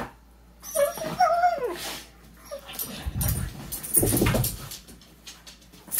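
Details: Two pet dogs, Macy and Lilly, play fighting on a couch, nibbling at each other's faces and wagging their tails; short high whining yips rise and fall early on, followed by low rumbling growls and scuffling.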